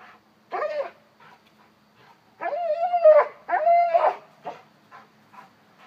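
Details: A one-year-old Cane Corso, acting babyish, whimpers in a run of short yelps followed by two long, steady, tonal whines and a few trailing soft squeaks in a quiet room.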